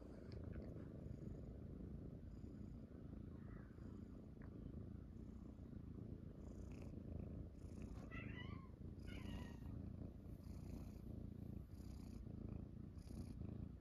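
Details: Indoor morning cuddle with Munchkin kittens Pochakun and Chaabo, later joined by Kuro, on their owner's belly; an unbroken low purring drone with brief soft chirps and rustling partway through.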